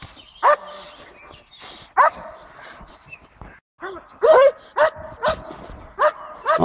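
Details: Eight-month-old Belgian Malinois barking during defence training on 2 May 2014. The loud, sharp barks come in irregular bursts, several a second apart, with men's voices talking in the background.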